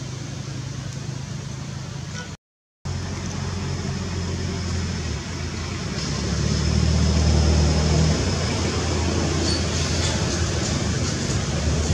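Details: Steady low engine rumble and road traffic noise, swelling slightly midway, with a brief dropout near the start and no animal calls.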